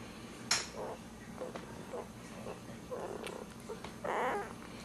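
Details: Dachshund puppies, ten days old, with their mother nearby: short squeaky bursts and grunts come at irregular intervals, ending in a longer, louder squeal, with a sharp click and faint rustling.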